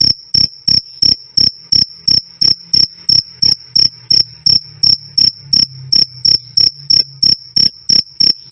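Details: Cricket calling loud and clear, recorded as a tutor sound for caged songbirds: sharp, high, ringing chirps repeated steadily about three times a second, each a short pulsed burst, with a faint low hum underneath.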